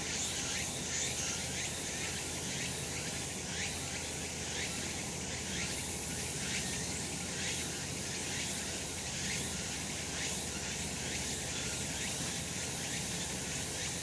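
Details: Cicadas calling in the sun on a summer mountain, recorded last month: a dense, shrill high chorus that swells in pulses roughly once a second over a steady low rumble, with no other clear sounds.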